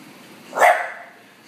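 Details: Single sharp bark from a female bulldog when ignored, one short burst near the middle with quiet room tone before and after.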